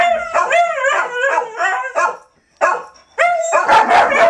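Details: Dogs howling during 2012 4th of July fireworks: a run of wavering, yipping howls with quick pitch bends, a brief pause, then renewed howling that grows louder and noisier at the end.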